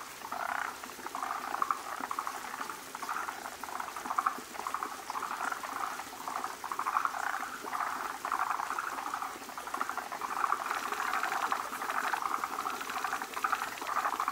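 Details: Forest green tree frogs assembling to breed, numerous males crowding a large female as foam egg clusters are laid; repeated pulsed rattling bursts rise and fall, with several frogs calling over one another.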